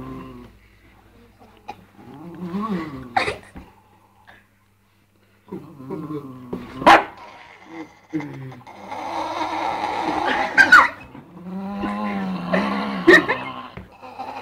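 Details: Dog making varied funny sounds, with drawn-out harmonic whines and moans that rise and fall, broken by short gaps of silence, a few sharp clicks, and brief rough, noisy bursts.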